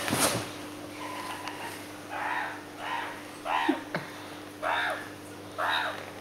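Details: Bibi, a hand-reared meerkat, chases her aunt Chloe, giving a run of short, harsh, raspy calls roughly once a second over a steady indoor hum.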